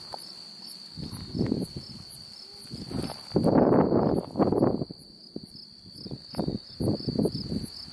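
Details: Unidentified insect calling in Beaver County, Oklahoma, on July 8, 2019: a steady high, thin whine with faint sharper ticks above it about twice a second, half-buried under loud, low, gusty rustling bursts.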